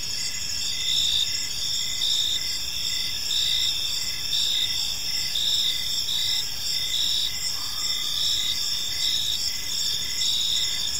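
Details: Crickets in a park at evening give a continuous high, ringing trill with overlapping pulsed chirps, a faint brief lower whistle near the end, light ambient noise.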